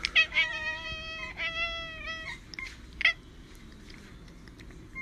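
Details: Domestic cat in a funny pet compilation giving several drawn-out, harmonic-rich meows in the first two and a half seconds, then a short sharp cry near three seconds, with quieter room noise after.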